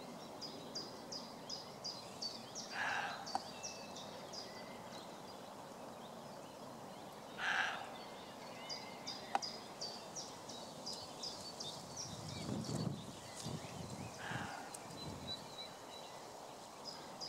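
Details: A roe deer buck barking back as a man barks at it: three short, harsh, hoarse bursts spaced several seconds apart, while small birds keep up a steady run of high, repeated chirps in the background.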